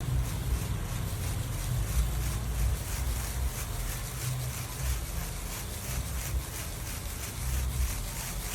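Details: Continuous low rumbling wind buffeting the microphone, with a steady broadband hiss and no animal sound.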